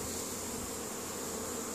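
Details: Honey bees working in spring, returning pollen to the colony at Caribou, Nova Scotia, Canada, on May 10, 2015, make a brief, constant, dense buzzing hum from many wings at once.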